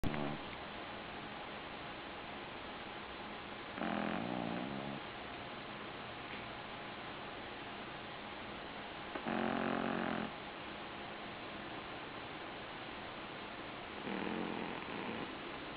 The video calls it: Dex (Shih Tzu) Snoring